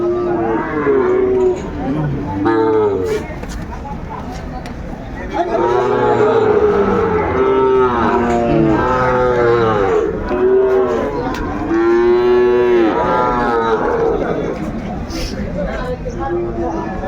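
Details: Sahiwal calves and young bulls at the Ambari cattle market in Dinajpur, Bangladesh, on 17 March 2025: repeated drawn-out moos, several overlapping, with buyers and sellers talking in the background.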